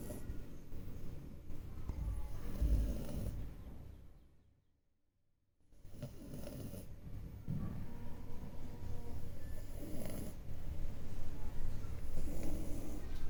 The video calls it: French bulldog snores out loud